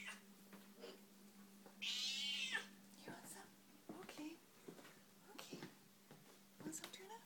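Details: Elderly indoor cat, 26 years old, meowing loudly while waiting for tuna as another cat is served first; one loud, strained meow about a second long amid a woman's talk and kitchen clatter.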